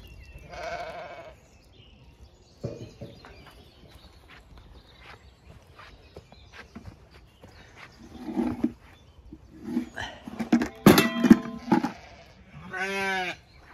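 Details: Zwartbles sheep ewes of a farm flock in County Kilkenny, Ireland, gathered and ready to move to fresh pasture; two drawn-out, wavering bleats open and close the stretch, with scattered shorter calls, rustling and footsteps in between.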